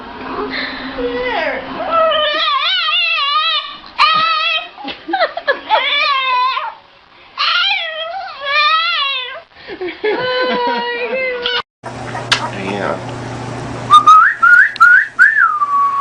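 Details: A female dog gives wavering, yodel-like whines that rise and fall in quick bursts, almost like talking.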